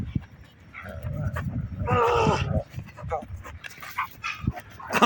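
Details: A Doberman gives a high, strained whine of excitement, greeting his playmate just back from military service, while people talk encouragingly nearby.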